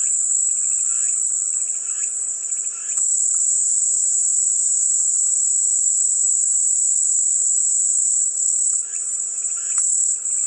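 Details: Calming cicada noise: a constant, intense high buzz throughout, with softer rattling bursts in the first three seconds and again near the end.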